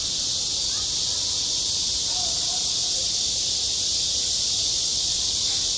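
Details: High summer on a school playground, where cicadas keep up a loud, constant, sizzling buzz from start to end, with faint background voices.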